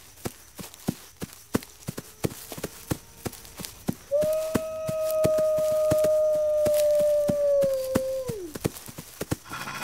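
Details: Wolf giving a single long, steady howl that holds a level pitch for about four seconds before sliding down at the end, preceded and accompanied by sharp, irregular clicking taps.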